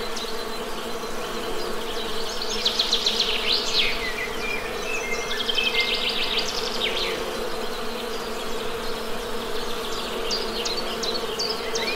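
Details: Continuous low hum of honey bees, an even droning buzz, overlaid with bursts of quick, high bird chirps and twittering in the middle and toward the end.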